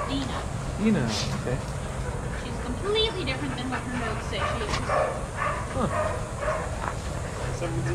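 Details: Adoptable shelter dogs playing together at a daycare, with short barks and yips scattered irregularly through the recording, over human voices and a constant low mechanical hum.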